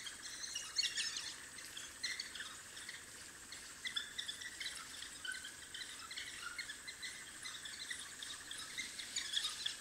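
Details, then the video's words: African wild dog puppies at their den giving busy, high squeaky chirps and twitters that come in quick clusters throughout, over a steady background hum of insects. "The sounds of African wild dog puppies at their den"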